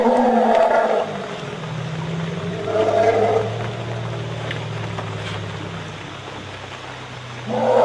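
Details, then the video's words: A herd of wild Asian elephants is harassed by a tiger in Royal Belum State Park, Perak, Malaysia. Deep, steady rumbles hold for several seconds. Harsher, louder bursts open and close the recording. "Sounds of elphants being harrassed by a tiger, Malaysia"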